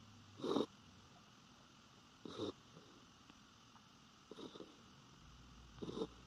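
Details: Sleeping Norfolk Terrier, face turned toward the recorder as it rarely is, giving four raspy nasal snores spaced about two seconds apart. Faint steady background hum.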